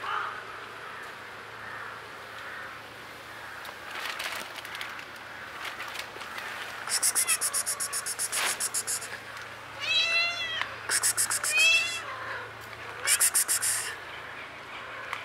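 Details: Blue-eyed kitten found in a basement: two rising-then-falling harmonic meows near the end, preceded by quick bursts of scratchy rattling, over a quiet hum.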